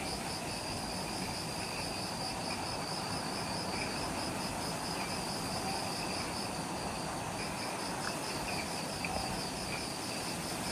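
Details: Insects in the jungle at the Mount Omoto trailhead on Ishigaki Island, Okinawa, Japan, at twilight just after sunset: steady high pulsing trills in two stacked bands, partly buried under a dense broadband hiss of forest noise.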